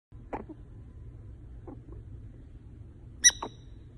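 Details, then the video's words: A female prairie dog kept as a pet, asleep and snoring or talking in her sleep. Brief, sharp squeaks and clicks come at irregular intervals over faint low rumbling, with a louder, shrill double chirp near the end. "Awesome Loud Snoring Prairie Dog"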